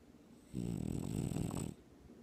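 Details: A French Bulldog sleeping and dreaming on his owner's chest snores loudly with a deep, rumbling, humanlike rasp lasting about a second.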